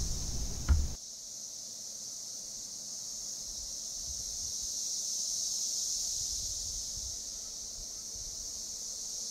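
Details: In a Kansas forest in 2015, male Cassin's 17-year periodical cicadas (Magicicada cassini) gathered in trees to attract females hum as a dense chorus, slowly swelling and easing as the calling wave rolls through.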